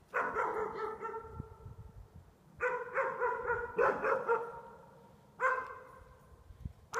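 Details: Pups bark at their own reflections in window glass, giving three clusters of quick, ringing yaps separated by short pauses, each cluster a rapid series of harmonic barks.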